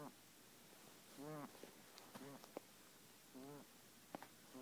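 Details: Pet guinea pig Kenny, a male with a breathing problem, gives a few wheezing, quavering squeaks as he breathes, separated by quiet gaps and small clicks.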